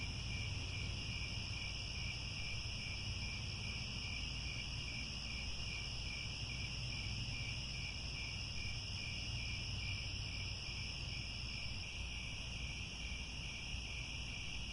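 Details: Crickets at sunset near Angkor Wat, Cambodia, in grassland: continuous high stridulation with a rapid pulsing element, several overlapping pitch bands, and a persistent low-frequency hum.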